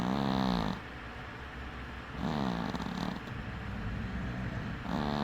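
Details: Domestic cat asleep with one eye open, snoring in short buzzy bursts with a low droning hum, three snores spaced about two seconds apart over quieter breathing.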